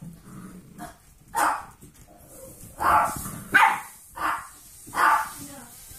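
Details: Eight-week-old foster golden retriever mix puppies at play, giving short, sharp yappy barks in bursts about once a second, six barks over six seconds, with quieter scuffling between them.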